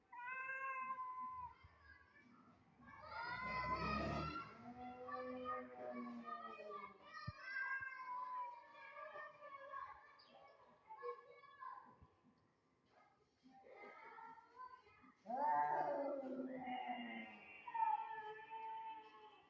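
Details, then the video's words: Two domestic cats that dislike each other meet and trade long, drawn-out harmonic yowls, rising and falling, with a louder wail near four seconds and another near fifteen seconds; quiet gaps between outbursts. "two cat does not like each other company and generated horrible voice sound to see each other"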